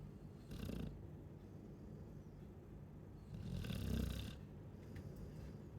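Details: ['Snoring Chow Chow, two low rasping breaths about three seconds apart, each with a soft airy hiss on top, quiet in between.']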